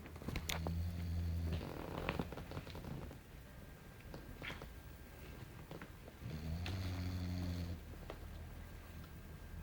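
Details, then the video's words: Small English Bulldog named Belchior snoring while asleep indoors: two low, harmonic, rasping snores about five seconds apart, each lasting roughly a second and a half, with quiet breathing noise between them. "Belchior Roncando"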